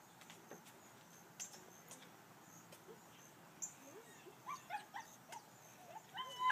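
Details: Bernese Mountain Dogs meeting for the first time; soft high whimpers rise and fall in short arched notes, clustering toward the end, amid faint background hiss and a few clicks.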